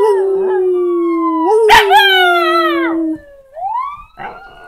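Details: Tuco, a pet Jack Chi, goes from sleepy to alert and howls at a siren played from a sound board: a steady mid-pitched howl with a bright harmonic stack for about three seconds, then a short rising note over a long falling siren wail.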